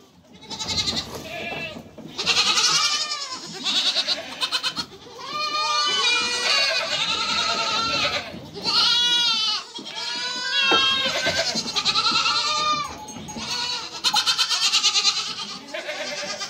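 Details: A mother goat and young kids bleat back and forth in a dense chorus, many short arched quavering cries following one another, some high and thin, others fuller, with brief gaps between bursts.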